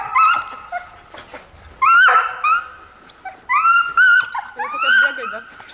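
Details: A husky gives a run of expressive vocal whines and yowls, each rising sharply then sliding and wobbling, in bursts about every second with brief quieter gaps.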